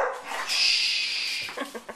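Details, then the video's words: Pet dog vocalising after being told to "speak", giving a high, thin, drawn-out whine lasting about a second, followed by soft fading yips as a person calls the dog over. "Talking Dogs"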